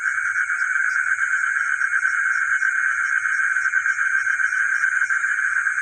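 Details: Frogs calling at night in a village, a dense steady chorus of mid-pitched trilling notes blending into one unbroken drone, with a constant high insect-like hiss above and faint low thumps underneath.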